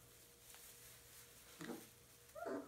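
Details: Puppies make two short whining yelps, the second higher and louder, rising then falling, above a steady low hum.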